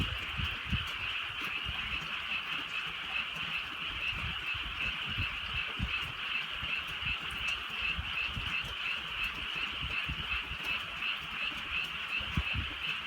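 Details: A rainy night in the countryside, with many frogs croaking together in an unbroken, shimmering chorus of rapid overlapping calls. Gentle drizzle and faint low thumps sit beneath the steady high din.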